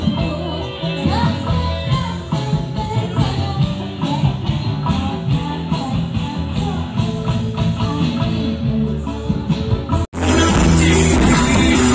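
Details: Loud rock music with guitar, drums and singing, briefly cutting out near the end before resuming, with no animal sound heard.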